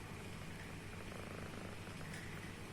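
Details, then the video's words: Sleeping house cat snoring very loudly, heard as a continuous deep, buzzing rumble with gentle regular pulses and a soft background hiss. "MIMI BOBONYA NGOROK"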